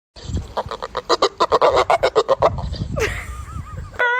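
A dog gives a fast run of nasal, goose-like honks, then a wavering whine and a high squeal.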